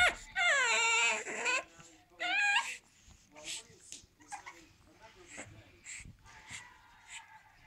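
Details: Eight-week-old pug puppy named Marley whining as it attempts to clamber onto a sofa: a long, loud, drawn-out falling whine, then a shorter second one, followed by softer scuffling and low background sounds.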